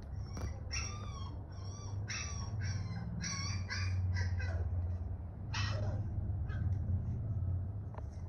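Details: A two-month-old female Siberian husky puppy reacts to other husky puppies howling for the first time, with high, wavering howls and yips in short bursts over a steady low rumble.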